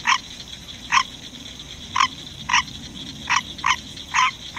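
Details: A male pet green tree frog sings in the middle of the night, giving short, nasal honking croaks in irregular singles and quick pairs.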